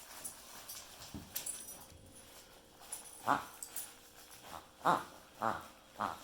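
A reindeer gives short, hoarse grunts, coming in quick irregular bursts over a soft background hiss.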